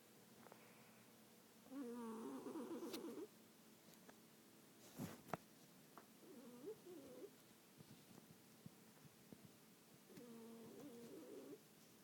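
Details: Snoring cat asleep in a quiet room: three rasping, wavering breaths about four seconds apart, the first longest, with a brief knock near the middle.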